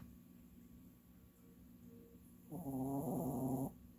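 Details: An old pet dog snoring while asleep: after quiet breathing, one raspy, buzzing snore of about a second swells up and then stops abruptly.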